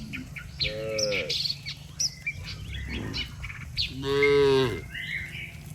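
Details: Cattle walking in a neat line on a road, mooing as if summoning the herd back to the barn: two drawn-out, rich moos about three seconds apart, amid steady birdsong.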